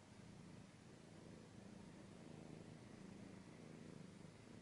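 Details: A pet cat purrs in a low, even drone, the soft rumble holding steady for the whole stretch with slight swells, recorded up close like ASMR.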